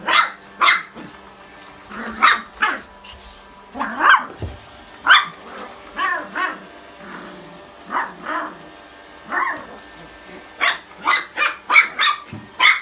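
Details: Two pet dogs, a Pomeranian and a Chihuahua, bark excitedly during a game of tag around a vacuum cleaner. Short, yappy barks come in rapid bursts, some doubled or tripled, with a faint steady tone behind.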